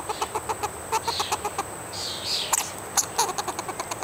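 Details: Squirrel on a hike and bike trail, calling while asking for a nut: rapid series of short, sharp clicking chirps, evenly repeated about four to five per second, with a brief person speaking partway through.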